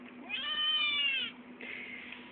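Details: Eight-week-old male Maine Coon kitten meowing when it wants to be fed: a drawn-out, arched meow of about one second, then a quieter, breathy second call, with steady background hum.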